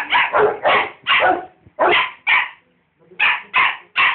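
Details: Two dogs, a rottweiler and a dachshund, barking at each other: a run of sharp, loud barks in quick bursts, with a short pause near the middle before the barking resumes.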